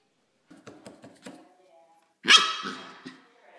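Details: Pembroke corgi Mona Lisa, a pet dog, gives one loud, harsh bark after a few soft tapping sounds. The bark fades out slowly in a quiet room.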